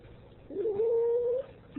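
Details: Ragdoll cat indoors, female, protesting as her owner tries to leave; one long, steady, drawn-out meow lasting nearly a second, held at an even pitch, in a quiet room.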